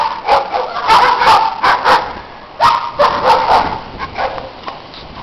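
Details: Loud neighbourhood dogs barking in snow, with family dogs playing nearby; dense run of harsh, overlapping barks and yips in quick bursts, several per second, pausing briefly midway before another volley.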